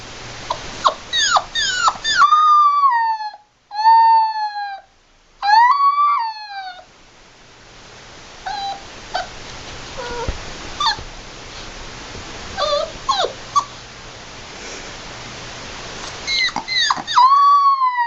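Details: Puppy with its mother, giving high whining whimpers and yips that slide down in pitch, in bursts with short pauses, some cries rising then falling; a person laughs afterwards.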